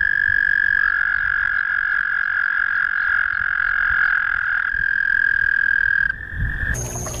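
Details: Frog calling in its natural habitat at night: a loud, steady, unbroken high trill holding one pitch for about six seconds, shifting slightly higher near the end, with a brief rustle at the close.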